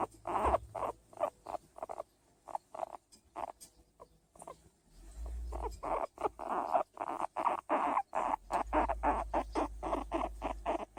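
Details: A hairless skinny guinea pig, kept as a pet, calling while being patted: rapid series of short pulsed squeaky notes, irregular bursts repeated throughout, some low rumbling thumps underneath.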